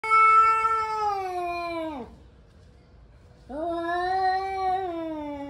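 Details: Angry male cats warming up for fighting: two long, drawn-out wailing yowls, each sliding slowly downward, separated by a short pause.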